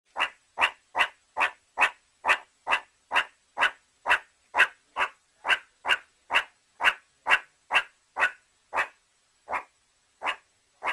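A meerkat gives sharp, husky barks, repeated steadily about twice a second.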